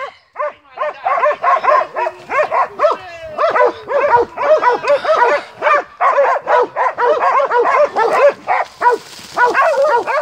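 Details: Montenegrin Mountain Hounds of kennel Sutorman giving tongue on a hunt, a dense unbroken chain of ringing, slightly whining barks from several dogs overlapping, rising in intensity toward the end.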